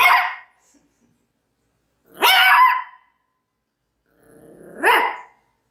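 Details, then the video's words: A Maltese dog gives three separate barks spaced about two seconds apart, the last preceded by a soft rising whine-like onset; tonal, bright barks with clean quiet gaps. "CACHORRO MALTÊS LATINDO 🐾SOM DE CACHORRO 🐾 BAKING MALTESE DOG"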